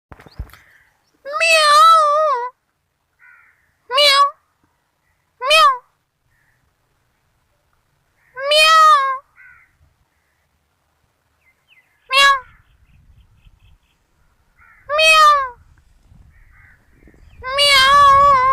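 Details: Kittens in a compilation, giving a series of seven short, high, tonal meows spaced about two to three seconds apart, some slightly wavering, the last one longer and louder; quiet background otherwise.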